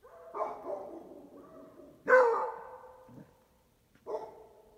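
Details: Beagle crossed with Basset Hound barking at strangers: three loud, harmonic barks, the middle one strongest and followed by a falling tail, about two seconds apart.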